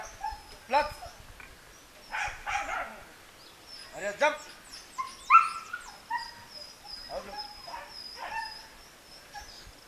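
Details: During a training session, a German Shepherd gives sharp yelping barks that drop quickly in pitch, in clustered bursts a couple of seconds apart. A thin, steady high-pitched tone runs behind them, with a few scattered voices.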